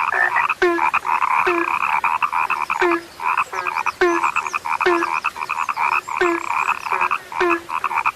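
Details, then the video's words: Croaking frogs, said to be a sound now rare, fill the air with a busy chorus of buzzy pulsed calls. Low, short, falling notes recur at a steady beat of about one per second. "SUARA KATAK YANG SUDAH LANGKA"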